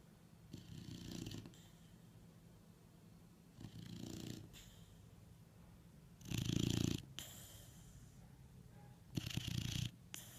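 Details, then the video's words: Sleeping dog in Sao Paulo, Brazil, recorded November 26, 2017, giving loud snores: rough, rasping breaths in paired bursts, an inhale and a shorter exhale, recurring about every three seconds, with quiet room noise between. "Snoring Doggo"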